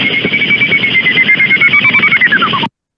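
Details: Greater horseshoe bat echolocation, a bat detector recording played back in a webinar on British bats and likened to miniature spaceships: a steady warbling high tone with rapid pulsing flutter, holding level then sliding downward before cutting off.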